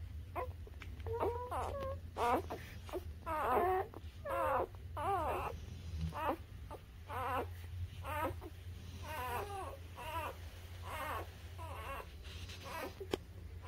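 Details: Newborn puppies up to three weeks old, filmed indoors, making short squeaky whimpers in irregular bursts, some wavering, with quiet gaps between and a low background hum.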